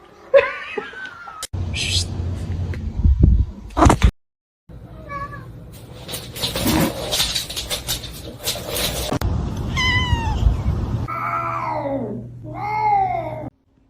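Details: Domestic cats in a comic compilation: bursts of speech, laughter and clattering, then several drawn-out, arching meows that rise and fall, repeated near the end.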